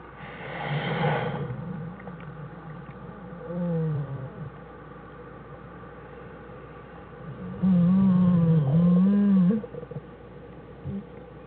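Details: Two American black bear cubs and their mother in their den, January 1, 2013. A brief rough cry comes first, then a softer wavering call. A loud, sustained, buzzing moan lasting about two seconds follows, over a steady low hum.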